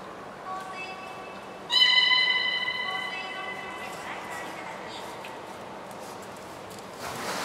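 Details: Nana, a beluga in training at Port of Nagoya Public Aquarium, 13 April 2019: a sudden rich harmonic tone, reedy and steady, rings out and slowly fades over a few seconds, with faint echoing hall noise around it.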